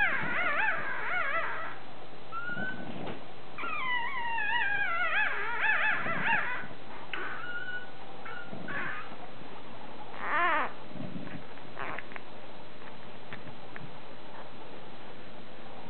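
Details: Two male Bulldog pups, hours to one day old, nursing on their mother after her c-section; high wavering squeals and whines in bursts, some with rapid up-and-down warbling, between quieter gaps.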